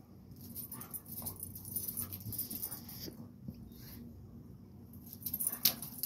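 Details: Rottweiler and blue pit bull locked in a dog fight; low, rumbling growls and snarls run steadily underneath, with scuffling thuds and hissy high-pitched bursts of noise, one loud sharp burst near the end.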